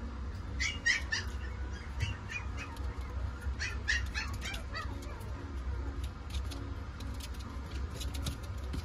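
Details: Mame Shiba puppy, described as very friendly and full of energy, giving short high yipping calls in two quick bursts, near the start and again around three to four seconds, then fainter chirps, over a steady low background hum.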